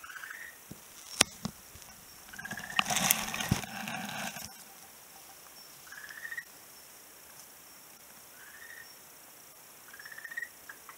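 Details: Frog calling on a beach, recorded 11 March 2017: short, upward-sliding croaky notes repeated roughly every two seconds, with a loud rustling clatter breaking in near the start.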